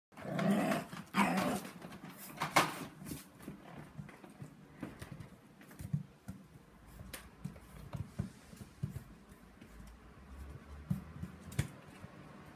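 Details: Six-week-old English bulldog puppy in the middle of the night, giving rough growling and grumbling sounds with short yelps early on, then scattered softer rustles and thumps.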